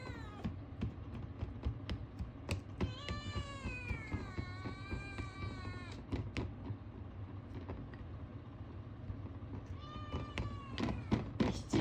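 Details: Male Ragamuffin kitten (born March 2022) calling oddly for food: a long, wavering meow lasting about three seconds, a quiet stretch of rapid clicking, then a second, shorter rising meow.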